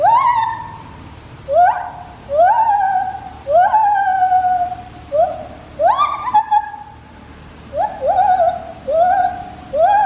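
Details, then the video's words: A white-handed gibbon at Taipei Zoo gives loud, rising, whooping hoots, each swooping upward and then holding, about once a second, in a call described as mournful. "Gibbon call 白手長臂猿阿寶叫聲 (悲壯版)"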